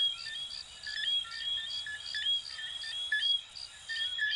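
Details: Small frogs, coquí, from Venezuela and Puerto Rico, calling in a dense night chorus: short chirped notes repeat around one per second, layered with higher piping notes from many overlapping callers and a steady hiss.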